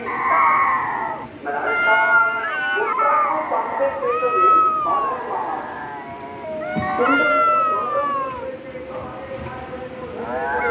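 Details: Cat calling repeatedly in loud, arched meows, each rising then falling, with about five cries over ten seconds and a steady low hum beneath.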